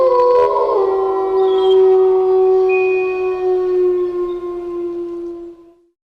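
A wolf gives one long, steady howl that dips slightly at the start and then fades away.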